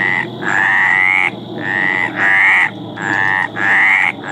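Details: A Mediterranean tree frog in mating call gives slow, nasal, rasping croaks, each lasting close to a second and slightly rising, over a rumbling low background noise.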